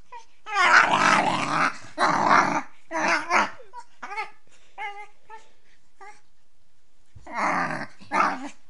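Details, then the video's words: A female beagle puppy "singing" while playing gives drawn-out, wavering howls broken by short yips and whines. "Beagle puppy Tessa 🐶 Singing (part 2)"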